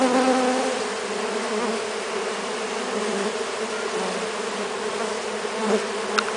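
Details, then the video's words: Brazilian stingless bees, several Melipona species including Melipona scutellaris, Melipona anthidioides and Melipona mandacaia, crowded on a hand while being fed sugar syrup; a steady, dense droning hum with layered buzzing tones throughout, briefly louder near the end. "Feeding Brazilian stingless bees"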